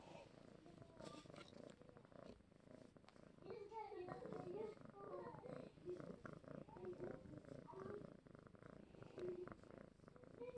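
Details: Contented pet cat, male, purring as he is stroked, a continuous gravelly low purr running the whole stretch, with quiet human speech drifting over it and occasional rustles from handling.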